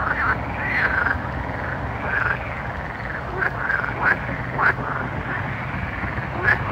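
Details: Frogs calling at night: a steady murmur of overlapping croaks, with a few louder sharp notes standing out against a low droning background.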